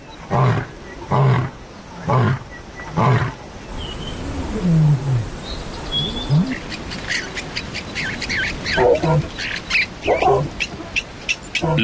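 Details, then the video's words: Male lion roaring despite hunger and heat to remind neighbouring outcast lions who is in charge, a roar that carries 8 kilometres; a series of deep, evenly spaced grunting roars, followed by Spanish narration. "desterrados comprenden el mensaje pues el rugido de un león se oye desde 8 kilómetros de distancia están"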